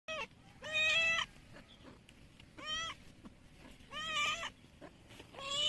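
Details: A cat meows loudly and repeatedly, four drawn-out, plaintive, harmonic-rich meows about 1.5 seconds apart, each rising then falling slightly, with a quiet room background.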